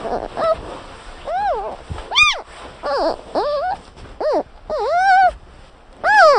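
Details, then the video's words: Panda bear giving a series of short, tonal squeaks and chirps, each rising then falling in pitch, delivered in quick separate bursts, with a soft hiss in the background. "sound of panda bear"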